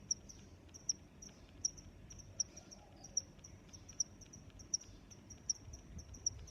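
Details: Crickets chirping: sharp, high-pitched chirps repeat steadily about every three-quarters of a second, about nine in the span, over a continuous thin high trill, with a soft low rumble underneath.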